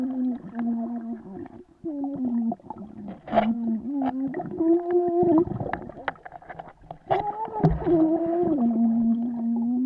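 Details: A Vizsla swimming whines in long, wavering, nasal tones, with splashing water behind.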